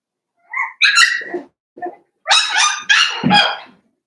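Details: Five-week-old Cavalier King Charles Spaniel puppies in Daisy's indoor puppy pen: a thin high whine, then sharp harmonic yelps, a brief squeak, and a run of three loud, rough, high-pitched barks close together, with quiet between.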